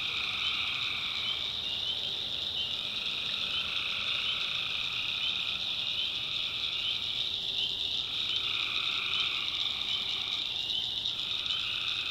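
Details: Tree frogs calling at night in a North Carolina backwoods swamp, a dense unbroken chorus of high trilling voices layered in several pitch bands, with some bands briefly dropping out and returning.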